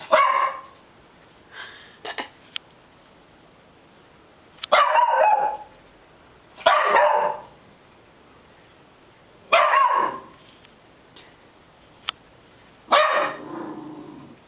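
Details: A puggle barking indoors: loud, sharp single barks spaced a few seconds apart, some with short trailing yelps, over a quiet background.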